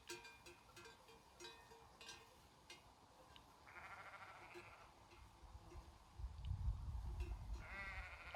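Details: A herd of sheep grazing in Romania's Făgăraș Mountains gives short, quavering, nasal bleats, one near the middle and one at the end, over lightly clinking bells and a deep rumble of wind or movement.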